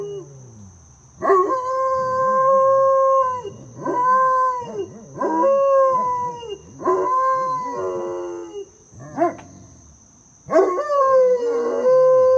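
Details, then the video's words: Great Pyrenees mix teaching his brother how to howl, indoors: a series of five sustained, slightly wavering howls, each about one to two seconds long, separated by short pauses, with a lower second dog voice underneath. "Great Pyrenees mix Dakota teaching his brother how to howl"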